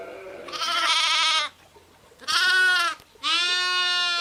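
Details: Sheep with lambs, three bleats about a second apart: a trembling, vibrato cry followed by two clearer, higher harmonic calls.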